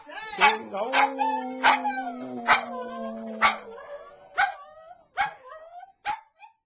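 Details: Chandler, a grandmother's pet dog, sings along with a small stuffed toy dog: wavering howled tones over a steady low note that fades midway, broken by sharp bursts about every second, ending in short rising yowls.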